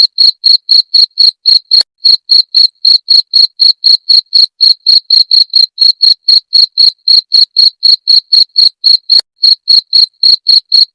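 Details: Cricket, labelled jangkrik genggong and offered as a sound to drive away rats. Sharp, high, ringing chirps repeat steadily about four times a second, with a brief skip near two seconds. No other sounds.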